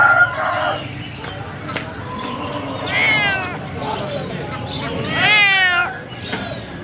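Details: A cat meows in a funny kittens compilation: drawn-out, wavering whines around the middle of the clip, with a louder, rising-then-falling meow near the end. Human speech and a steady background hum run underneath.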